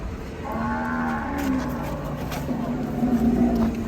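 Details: Raging cattle in Indonesia bellowing: a sustained low moo with a steady harmonic stack, holding roughly level and rising slightly near the end over a dull background rumble.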